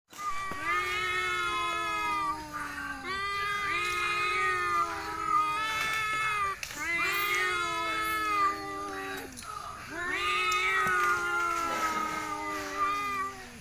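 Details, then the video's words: Two village cats named Cuan and Cimo fighting, trading long low moaning yowls that waver and slide downward, each lasting two to three seconds, overlapping with higher wailing tones. "kucing kampung cuan dan cimo berkelahi dan bersantai"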